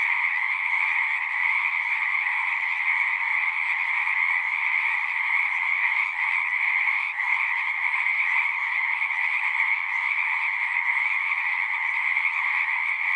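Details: Many frogs calling together from a pond in a horse pasture, recorded with a Zoom 6; a steady, shrill massed trilling holds even volume from start to finish, with only a brief dip near the middle.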